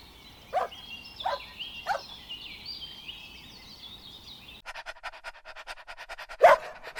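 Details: Puppies playing together on a green meadow give three short barks close together, then one louder bark after a cut, while birds sing steadily in the background throughout.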